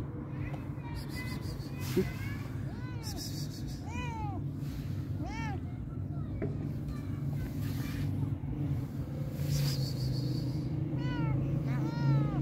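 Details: Fluffy-furred stray cat crying from strong hunger, giving scattered short harmonic meows that rise and fall, loosest in the middle and bunched toward the end, over a constant low rumble of passing traffic.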